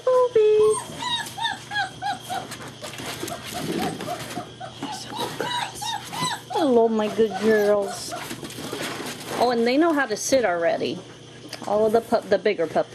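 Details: Frisky German Shepherd puppies at play together, 2-5-2012; busy overlapping whimpers and sliding, wavering squeals, some dropping sharply in pitch, with a few yelps, scuffles and a human voice in the background.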